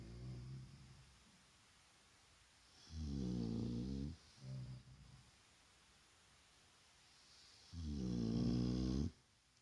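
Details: Vaya, a Shar Pei dozing through a daytime rest, snores in low rumbling rasps: a trailing snore, then a long one, a short snort and another long snore several seconds later, in a small quiet room.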